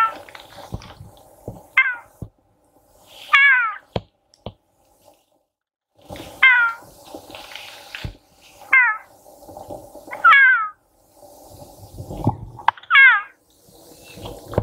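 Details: Wild female puma near Torres del Paine National Park, Chile, on 13 April 2019, calling to attract a male: six loud, harsh, downward-sliding yowls spaced about two seconds apart, with a steady low hum and faint clicks between calls.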